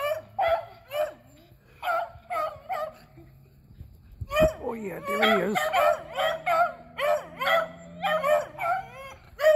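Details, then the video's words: Three beagles, Athena and Zeus aged eleven and River aged three, hunting squirrels on April 21, 2020; overlapping yelping bays in bursts, a short pause near the middle, then a dense run of excited calls from several dogs. "Beagles Hunting Squirrels"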